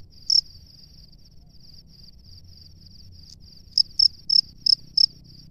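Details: Male cricket at its nest calling for a female; one chirp, a stretch of faint soft trilling, then five loud high chirps in quick succession near the end.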